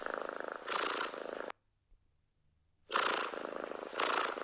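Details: Domestic cat purring loudly and contentedly at close range: a rough, pulsing rattle in two bursts split by a second of silence, each with brighter, hissy swells on the breaths.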